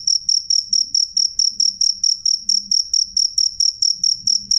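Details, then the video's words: High, piercing chirps from a cricket (jangkrik), clear and loud, evenly spaced at close to four per second, with a quiet low hum behind. "suara jangkrik jernih keras"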